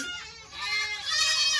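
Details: Loud baby goats in a barn after kidding season 2022: overlapping nasal bleats, one rising and wavering, another holding a steady tone, the pen noisy with kids calling.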